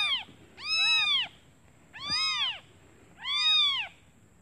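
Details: A newborn kitten calling for its mother out of hunger while she is away finding food; three loud, drawn-out arched mews spaced about one and a half seconds apart, rich in harmonics.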